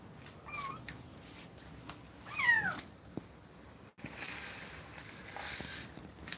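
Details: Kittens kept apart from an aggressive mother cat give a faint short cry, then one clearer, louder meow that falls in pitch, followed by quiet room noise and a sharp click.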